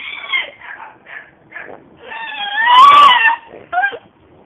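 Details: Seven-month-old deaf female French Bulldog giving short choppy yelps that build into a long, loud, wavering scream with a rising then falling pitch, ending in a brief sharp squeal.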